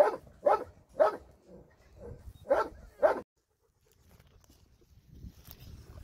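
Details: A dog at a shelter, recorded on a Sunday volunteer visit, lets out six brisk barks in the first three seconds, then falls silent apart from faint background noise.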